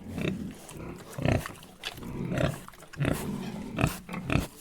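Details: Pigs, three in number, grunting in short rough bursts roughly every half second to second, some grunts louder and squealing at the edges, with low rumbling between calls.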